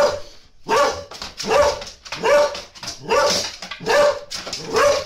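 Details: Pet dog from a funny compilation barking steadily, six sharp, harsh barks in about five seconds, evenly spaced with short pauses between.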